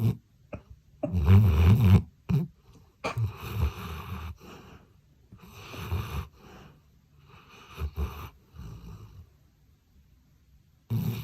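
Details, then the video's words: Labrador Retriever Daon asleep indoors while hugging a toy on an electric blanket, giving loud, rough, snorting snores; heavy bursts cluster early, then softer wheezy breaths follow with long silent gaps before a final loud snore. "장난감 안고 잠든 리트리버 그리고 코골이를 곁들인.. (소리 큼 주의) | 코고는 강아지 | 래브라도리트리버"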